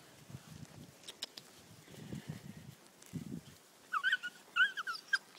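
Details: Three-month-old Whippet pups Betti and Jack, born November 7th 2011, playing with four-month-old Ashley; soft low scuffling and thuds, then a burst of high, rising-and-falling yips and whines near the end.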